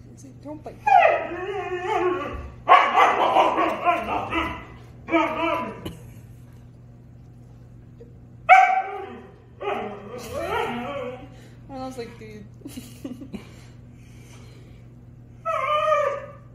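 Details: Dogs arguing, a Husky and a German Shepherd, exchanging bursts of whiny howls and grumbling yips, several short outbursts spread through the recording with quiet pauses between, some sharp clicks or scuffling noises.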